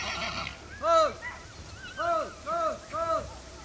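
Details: Polish Arabian horses at Janów Podlaski Stud, Poland, during the Open House of 13 August 2019, the Pride of Poland event. Short arched, harmonic calls repeat four times over a few seconds, with murmuring voices early on.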